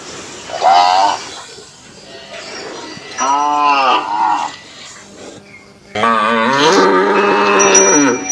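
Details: Indian cattle in a village in Assam, grazing; three loud, drawn-out harmonic moos, each about a second or longer, with the last one long and wavering, over a steady faint background.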